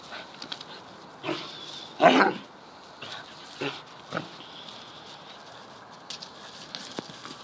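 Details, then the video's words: Two Deerhounds, the young Mackie and Rascal, play rough in a garden; brief snarling growls and huffs, one louder burst midway, then scattered short grunts fading out. "Deerhounds at Play"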